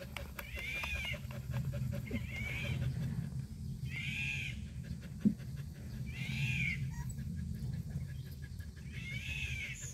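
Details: Purebred black Jindo making five brief, arching whines, each rising and falling, about every one to two seconds, over a constant deep rumbling background and one sharp knock midway.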